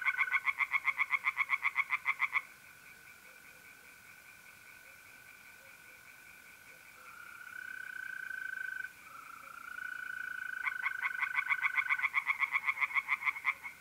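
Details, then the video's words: Tree frogs singing in a pond at night in mid-April in north-eastern Italy: fast rasping pulses, about four per second, open and close the stretch, with steady high trilling of mole crickets filling the pause between. "singing tree frogs in pond"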